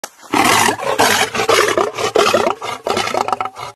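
A lion gives harsh, rasping aggressive roars in quick, snarling bursts.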